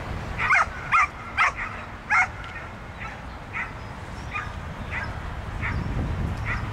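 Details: Pit bull at a dog frisbee club's autumn accuracy-throw competition called Осенний вальс. Four loud, sharp barks come in the first two seconds, then softer barks repeat about every 0.7 seconds over a steady low background rumble.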